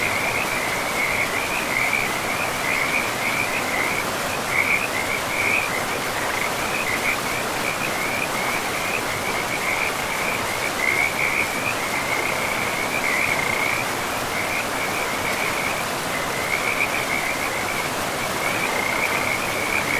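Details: Frogs in a pristine forest by a river, giving a steady, high, pulsing trill that runs almost the whole time with brief gaps, over a constant broad rush of flowing water.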